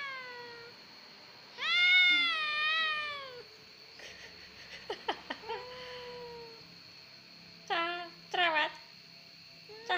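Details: Crybaby domestic cat ('kucing gembeng') lets out one loud, prolonged wavering meow, followed by sharp clicking noises, a softer falling meow and two quick choppy cries, with a constant high hum underneath.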